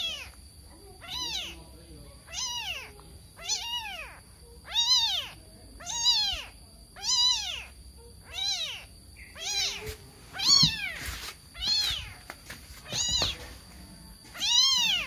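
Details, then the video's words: A kitten confused and looking for its mother mews insistently, about a dozen clear arched high cries spaced roughly a second apart, steady throughout, over a faint constant high tone. "SUARA ANAK KUCING MENGEONG NGEONG, KEBINGUNGAN MENCARI INDUKNYA"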